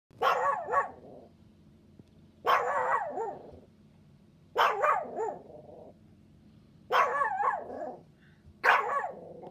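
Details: Chihuahua puppy barking: five sharp, high yapping bursts spaced about two seconds apart, each a quick double or triple yap with a short trailing whine, quiet between barks.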